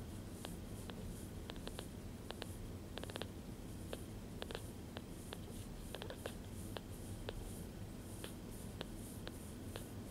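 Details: Bottle-fed foster kittens about ten days old, indoors while feeding, purr as a low, steady rumble throughout. Frequent sharp, quick clicks sound in irregular bursts over the purring in a small quiet room.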